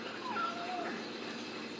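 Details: Ragdoll kittens raised in a home cattery in central Kansas, free of cages; a faint, thin kitten mew slides in pitch over steady background hiss.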